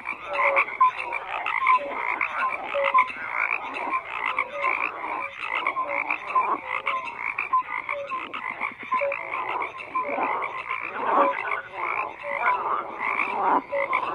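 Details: Many frogs croaking together in a steady, dense chorus; rasping pulses overlap continuously, broken by short clear whistled notes and occasional louder swells.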